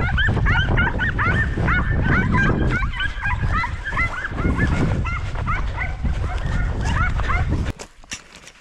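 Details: Several podencos hunting rabbits in 2023 give rapid, overlapping high yelps that ring out almost nonstop. Each is a short bent cry. A low rumble of movement runs beneath, a man's shouts come before, and the pack falls quiet near the end.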